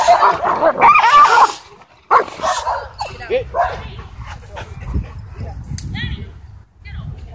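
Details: Doberman and Belgian Malinois fighting at a dog park during an e-collar correction: sharp, harmonic barks and yelps burst loudly in the first seconds, then scattered shorter yips, with people talking over the scuffle.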